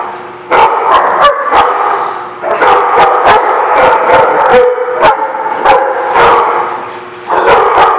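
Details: Loud chorus of dog barks in a lot, harsh overlapping barks coming in quick runs of several, with a constant low hum beneath.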